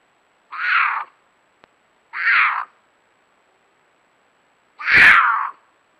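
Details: A female cougar (Puma concolor) in estrus, calling for a mate in Nebraska at 9:18 pm on 5 April 2022, gives three harsh, wavering caterwaul screams, each about half a second long, spaced a couple of seconds apart.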